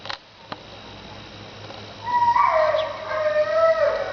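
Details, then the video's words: Dog making weird noises indoors: after quiet clicks, a drawn-out high whine with clear harmonics begins midway, wavering and sliding slightly downward, continuing to the end. "dog making weird noises"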